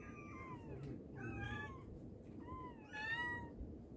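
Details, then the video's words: Domestic mother cat calling to her kittens, giving three clear meows roughly a second apart, each sliding down in pitch with rich overtones, over a faint low rumble. "Mother cat calling her babies | cat meowing |kittens sound | mommy cat calling her kittens"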